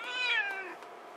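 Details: Indoor pet kitty being petted on its ears lets out a clear, rich meow that starts strong and slowly falls and fades over about a second, with a quiet room behind.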